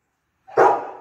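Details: Rottweiler named Efe, a pet dog, playing with an elderly man and chewing a bone at home; one loud, abrupt bark with a sharp onset that fades over half a second, against an otherwise silent background.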